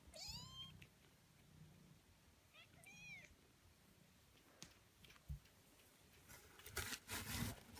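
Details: Kittens eighteen days old, giving high, thin rising-falling mews, a cluster near the start and another around three seconds, followed by soft rustling and handling noises.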